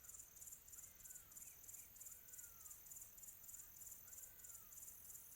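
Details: On a quiet tropical afternoon, crickets chirp in a high, steady pulsing trill, with faint whistled bird notes far behind.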